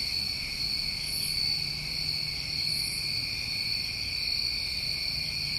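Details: New England summertime crickets calling together: a steady, unbroken high trilling drone with layered bands of continuous buzzing, plus brief higher shimmering pulses near one and three seconds, over a faint low rumble.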